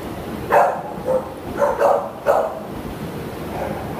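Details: Adoptable Shepherd Toby, filmed 17 June 2015, lets out four loud, hoarse barks spaced about half a second apart, over low background hum.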